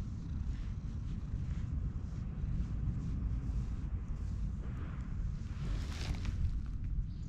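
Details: Loud purring from a petted orange tabby cat in a park, filmed with a GoPro: an unbroken deep throbbing drone holds steady throughout, with a soft rustle of handling near the end.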